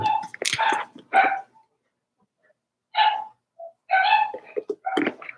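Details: Daisy's four-week-old Cavalier King Charles Spaniel puppies in an indoor pen give thin, tonal whines and squeaky yaps in short bursts with pauses between, mixed with faint human voices.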